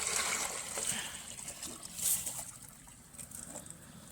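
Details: Water trickles and splashes with scattered hiss and a few faint clicks; no animal sound stands out.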